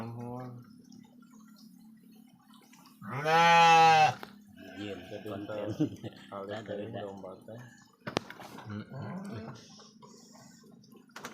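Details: Genuine Garut sheep, three years old and large, kept in a pen, gives one loud, wavering, strongly harmonic bleat of about a second, with men talking before and after.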